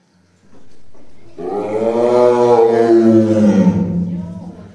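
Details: Tigers Dai and Oga in a cage at Ehime Prefectural Tobe Zoo, Tobe, Ehime, Japan, early December 2023, growling and pacing; a quiet low hum, then a long loud rasping growl with rich stacked tones that slowly falls in pitch.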